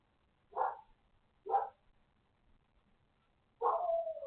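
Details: Barking from a neighbor's dog: two clipped, punchy barks spaced about a second apart, then a longer bark that stretches into a steady, whiny wail before cutting off.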